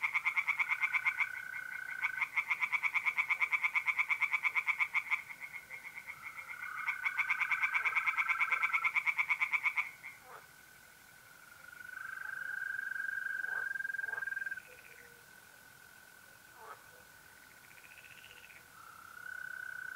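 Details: Pond tree frogs at night in mid-April, north-east Italy, give fast rattling pulsed croak sequences for the first ten seconds, then fall quiet, leaving the smooth unbroken trilling of mole crickets.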